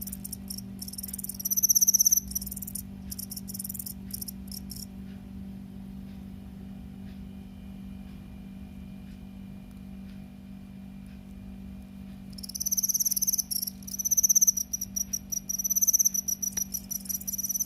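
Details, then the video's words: Cricket chirping in fast, high-pitched pulsed trains, loud for the first five seconds, then falling silent for about seven seconds before resuming; a steady low electrical hum runs underneath throughout. "귀뚜라미 곤충의 최고의 소리"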